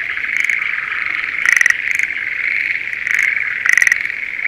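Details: Spring rice paddy near Sendai, Japan, with Schlegel's green tree frogs in breeding season: a few pulsed rattling bursts spaced a couple of seconds apart over a continuous high, buzzing chorus.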